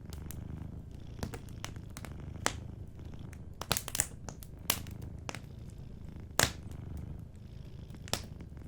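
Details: Soft purring from a sleeping cat near a crackling fireplace, heard as a deep, even rumble that continues throughout, with scattered sharp pops of burning wood, one especially loud snap past the six-second mark.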